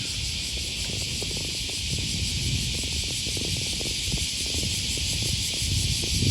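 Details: Cicada chorus beside the Okawa River in Osaka, Japan, on an August morning in 2020: a continuous high shrill hiss with a steady low rumble of city and walking noise beneath it.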